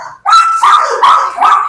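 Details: Adopted dog described as extremely aggressive, giving a quick series of three high, whining yelping barks in under two seconds, close and loud.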